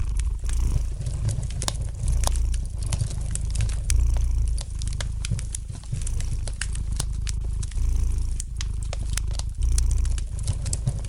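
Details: Soft, rumbling purr of a domestic cat, pulsing in gentle waves about every two seconds, set against the light crackle and occasional sharp pops of a fire in the fireplace.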